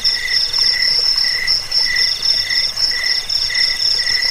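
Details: Crickets trilling, used against rats, as a sleep aid and as a model song for birds; shrill pulsed notes in short bursts roughly every half second over a steady high buzz.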